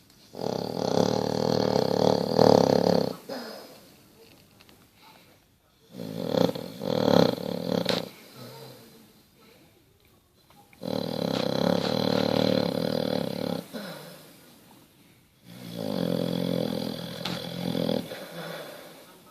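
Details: Snoring Basset Hound Bertie, asleep indoors: four long, rumbling, growly snores every four to five seconds, each with a rattling vibrating tone and quieter breathing between them.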